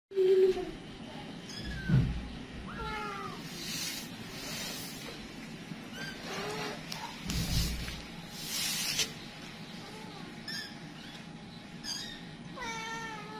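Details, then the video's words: Domestic kittens scattering while their mother panics; several thin high meows with falling and arched pitch, scattered and irregular, mixed with broadband rustling and knocks, a faint steady hum throughout. "ANAK ANAKNYA PADA NYEBAR.. KITTY AUTO PANIK !!!"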